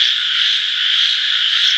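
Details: Many frogs trilling together, a bright, even, high-pitched hum that never breaks, with faint low rumbling beneath.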